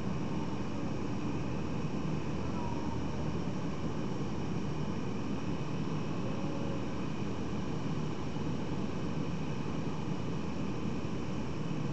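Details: Steady low rumbling noise like a passing vehicle or distant aircraft, broadband hiss throughout, with no animal voices heard.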